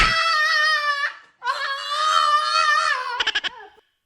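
A French Bulldog howls in long, wavering, high-pitched notes that end in a few short yelps.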